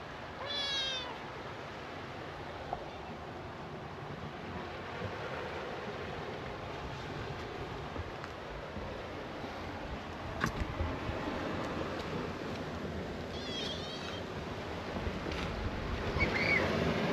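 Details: Stray orange tabby kitten on a cat island, growing up among gentle older male cats; two short, high meows with a rise and fall, one near the start and one later, over a steady outdoor hiss and low rumble.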